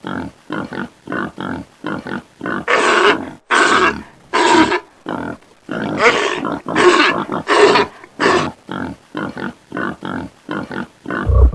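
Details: Pig (Sus domesticus) grunts in quick rhythmic bursts, broken by a few longer, harsher squealing grunts.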